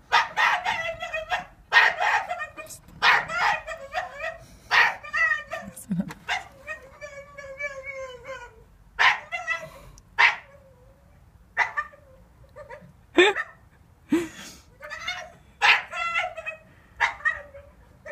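A Staffordshire Bull Terrier gives a run of short, tonal, whining yelps that rise and fall in pitch.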